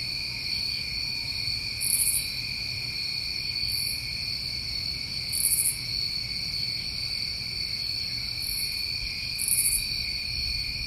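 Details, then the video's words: New England crickets in summer keep up a dense, steady trilling drone, while separate sharp, very high buzzy pulses recur every one to two seconds across the recording; faint low background rumble. "Tinnitus Masking With Crickets"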